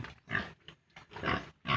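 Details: Farm piglets, 32 days old, at weaning from the sow, give short, rough, broadband grunts in three quick bursts with brief pauses between them.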